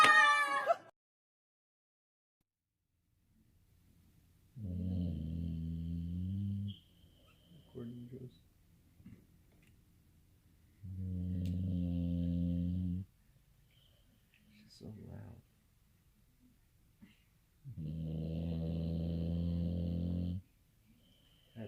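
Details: Female pet dog snoring loudly while napping at home on March 21; deep, rumbling snores about two seconds long, repeating roughly every six seconds with quiet gaps, after a brief higher sound at the start.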